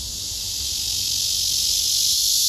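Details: Singing male cicada on a tree, wings spread and abdomen raised, filmed close with a phone: an intense, steady, high-pitched buzz that grows slightly louder over two and a half seconds.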